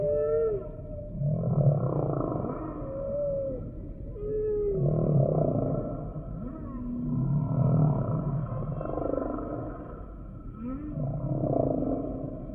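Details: Repeated humpback whale song phrases: deep groans pulse roughly every three seconds, each paired with short falling whistled cries and upswept moans, rhythmic and echoing.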